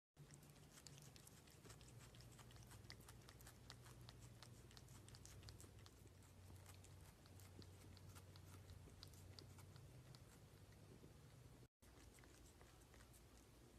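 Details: Cat eating its food, recorded close up for ASMR: a steady run of crisp, irregular crunching clicks from chewing, with a constant low hum underneath and a brief cut near the end.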